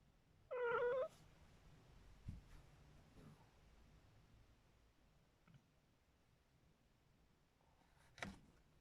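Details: A Maine Coon cat chatters at birds, giving one brief, wavering, chattering call, then near silence with a few faint clicks.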